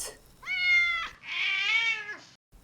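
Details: Cat meowing twice: a short, steady-pitched meow, then a longer, brighter one that rises slightly and dips at the end; quiet background.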